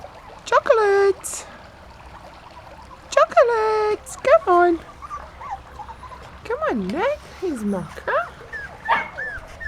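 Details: Honey's puppies, Mocha, Chocolate and Milk among them, on their first time out of the pen: high, squeaky whimpers and yelps in short bursts, some held steady, others bending up and down in pitch, over a quiet background.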